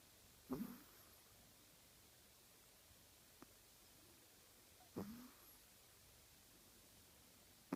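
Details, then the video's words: A Chihuahua snoring indoors: two short, rough, low-pitched snorts about four and a half seconds apart, separated by quiet breathing and a few faint clicks. "Чихуахуа храпит"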